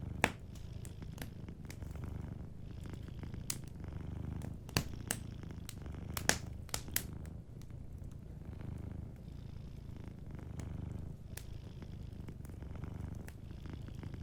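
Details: Gentle purr of a cat asleep by a cozy fireplace: a low, even, vibrating drone that swells slightly in waves, with light crackling of burning wood scattered through.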